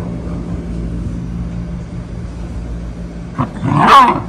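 A Shiba Inu gives a single sharp, yelping bark over a steady low engine rumble.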